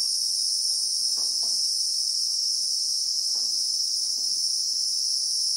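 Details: Christmas beetles (Anoplognathus) in South African bushveld: an unbroken high, whining drone at steady volume, with a few brief low knocks scattered through the background.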